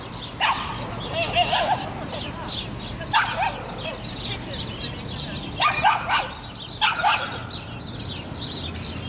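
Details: Dolce, a Hungarian Vizsla hunting dog, barks at a pigeon that refuses to be scared while out on a walk; four loud broadband barks spaced about two seconds apart over a steady outdoor hiss with faint bird chirps.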